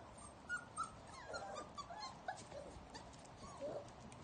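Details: Puppies from a kennel litter outdoors for the first time, giving soft, brief whimpering squeaks that come in scattered bursts. Faint background noise runs throughout.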